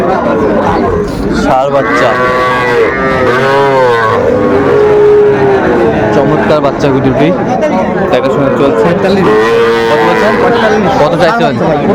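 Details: Small Sahiwal bull calves at a Bangladeshi cattle market on 11 November 2024: overlapping moos, some flat and sustained, some wavering, mixed with a man speaking and steady crowd noise.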